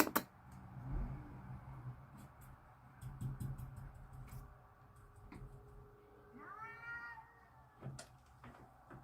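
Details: Two cats outside in a backyard, ready to fight, with one short rising-then-falling yowl late on, preceded by soft thumps, scuffs and a low steady hum.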